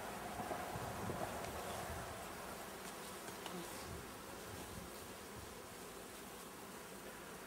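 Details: Many honey bees buzzing during a swarm inspection, where powdered sugar is applied as additional varroa protection; a dense, continuous droning hum with a fluttering, slightly pulsing texture, fairly loud and unbroken.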